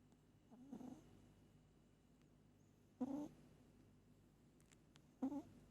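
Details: Sleeping pet cat Moli snoring: three soft, throaty snore bursts about two seconds apart, the first faint and drawn out, with low steady room noise and a few faint clicks.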